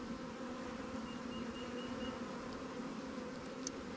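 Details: A new honey bee swarm hive in a beekeeper's apiary, opened while resources from stronger colonies are given to it. A continuous even hum with a low steady tone fills all four seconds, and a faint click comes near the end.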